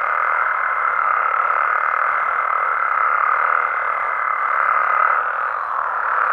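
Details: Nighttime amphibian chorus from Mexican habitats: a dense, even hum of many frogs and toads, with one clear, steady high-pitched trill held for about five seconds before it stops.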